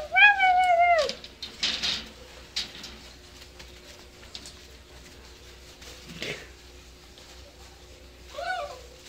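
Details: Dachshund-basset mix puppy, seven weeks old, playing. One short, falling whine opens, then soft shuffling and near quiet, and a brief wavering whimper returns near the end.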